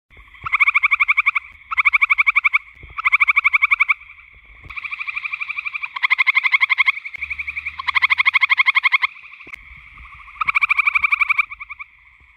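Gray treefrogs give loud, musical pulsed trills, each lasting about a second and repeated in quick succession.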